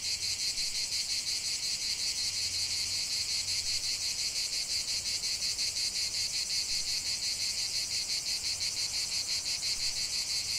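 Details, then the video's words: Continuous cicada song outdoors: loud, high-pitched buzzing that throbs in fast regular pulses, with a faint low hum beneath the insect chorus. "45 min de chant des cigales"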